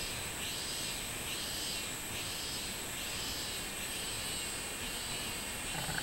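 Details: Minminzemi, the robust cicada, singing on 24 July 2016. Loud, rhythmic swelling buzzes repeat a little more than once per second, each phrase rising and falling in a droning 'meen' pattern, above a steady high-pitched hiss.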